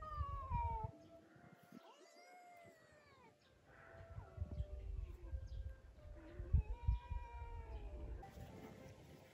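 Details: Foxes at Miyagi Zao Fox Village in Japan, a former fur farm with about 100 free-roaming foxes; a fox outside a cage seems to call to one inside with thin, cat-like whining cries, some drawn out and falling, others rising, over low rumbling.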